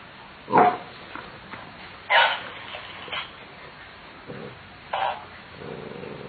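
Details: Corgi barking indoors, loud sharp barks at about 0.6, 2.2 and 5 seconds with softer yips and a low growl-like sound between them, irregular spacing, quiet room background.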